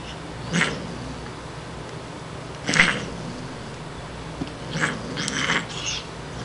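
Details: Siamese cat named Shiloh, a female born behind a grocery store, playing indoors; several short breathy hisses spaced a couple of seconds apart, with room noise between.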